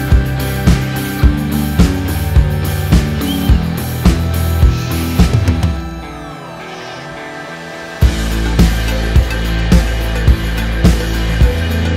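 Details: Music with a steady drum beat and bass, pausing briefly midway before the beat resumes; no animal voice is heard.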